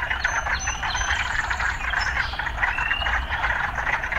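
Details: Urban frogs in a dense, steady croaking chorus of rapid pulsed notes, with short rising whistled notes layered above and a low rumble of city life underneath.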